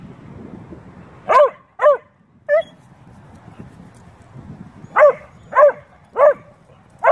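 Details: Playful back-and-forth between a beagle/shepherd mix and a bluetick dog: uneven yelping barks, a pair then a clipped one, followed by a steadier run of four after a pause, over low background rumble.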